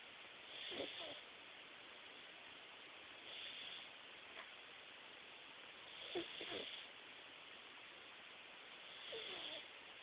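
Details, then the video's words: Jaxson, a Himalayan cat, napping and snoring: soft breathy snores with faint nasal tones, roughly every three seconds, over a steady hiss of background noise. "Jaxson the snoring Himalayan Kitty"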